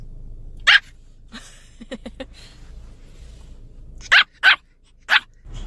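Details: Irritated Pomeranian puppy barking while told to calm down; a sharp yap, then a quick run of softer low clipped sounds, followed by three loud high yaps in close succession near the end, with faint room hum.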